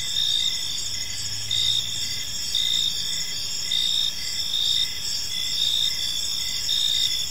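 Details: Crickets chirp in a park as evening falls, a continuous high, pulsing trill with regular louder bursts, while a faint low hum passes briefly near the start.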